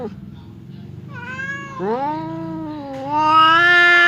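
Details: Domestic cat yowling at another cat through a partition, a threatening pre-fight exchange: long drawn harmonic wails rising in pitch and growing louder over four seconds, with low rumbling underneath.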